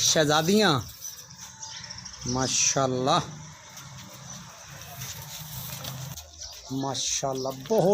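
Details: Bleating from Nagri Beetal goats kept on a Pakistani goat farm for sale: a wavering cry at the start, two bending calls around the third second, then short bleats near the end over low rural background and faint music.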